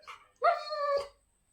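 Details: Labrador Retriever reacting to its owner leaving, giving one drawn-out tonal whine with rich harmonics lasting about half a second, followed by a soft huff and a quiet room.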